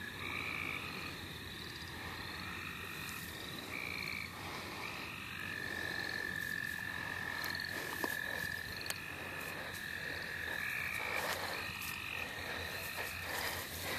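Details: Wild frogs calling in the St. Olaf College Natural Lands while being caught: steady overlapping high trilled tones held for several seconds, layered with rapid pulsing calls, with no pause across the whole stretch.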